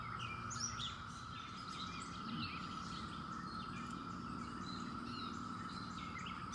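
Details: Seventeen-year cicadas in late May, droning in an even, continuous whine while several birds chirp and whistle in the background.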